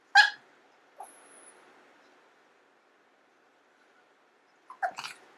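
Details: Long-haired Chihuahua at home crying out for its owner's food: a sharp yelp at the start, a brief whimper, then a cluster of short, strained yips near the end. A person speaks briefly afterwards.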